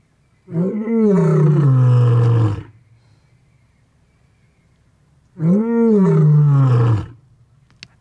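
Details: A lion gives two deep, rumbling roars, each rising then sliding down into a low growl.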